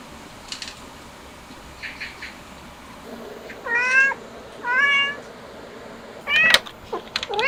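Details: Cat family of stray cats and kittens during a hot summer, given an air conditioner; a few high, wavering meows rise and fall in pitch, spaced a second or so apart, over a quiet hiss, with fainter chirps early on.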